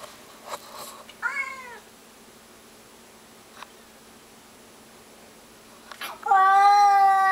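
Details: Bellowing at a stray cat in the bushes outside, pet cat Mr Mittens gives a short falling meow, then after a pause a loud, steady, drawn-out yowl that carries on to the end.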